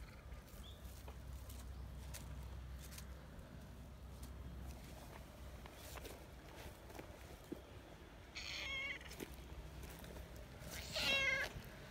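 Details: Friendly tortoiseshell community cat, affectionate and kneading with its paws, only recently letting itself be petted after three years; two short, bright harmonic meows come late, one after another, over a quiet, faintly rustling background.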